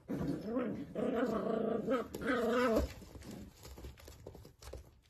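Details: Dachshund puppy indoors, from a compilation of cute moments: three drawn-out, wavering growl-howls with rich harmonics, each about a second long, then a quieter stretch of soft rustling and faint noises.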